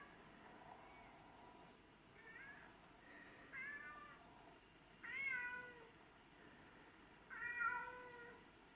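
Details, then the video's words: Begging to be let inside, house cats Tom and Mimi, one black and white, the other white and ginger, give a string of five plaintive meows, growing louder, spaced roughly one to two seconds apart. "Cats Begging To Come Inside"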